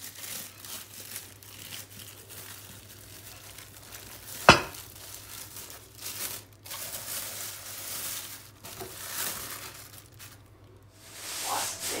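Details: Crinkling, tearing and sharp crunching as a rottweiler puppy gnaws a raw shoulder bone indoors, with one loud crack near the middle and no barks or other calls.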